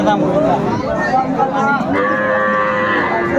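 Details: A cow with its calf at the Aftabganj market in Dinajpur, 25 August 2024, gives a long steady moo in the second half. Loud chatter from traders and onlookers fills the background.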